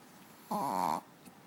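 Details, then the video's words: Pet dog named Manja snoring while sleeping on a bed; a single half-second nasal snore with stacked harmonic bands, then quiet room. "Dog snoring"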